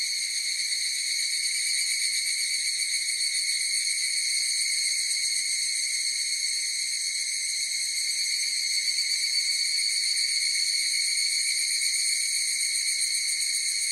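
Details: Continuous shrill chorus of higurashi cicadas, bright layered tones holding steady for the full length, with a slight rapid flutter and nothing else audible.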